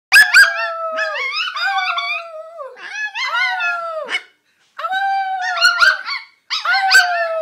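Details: Bolonka Zwetna dog making odd vocal sounds: a series of loud, harmonic howling whines and yips, each a drawn-out tone sliding slightly downward, in four bursts separated by short pauses, with no other sounds.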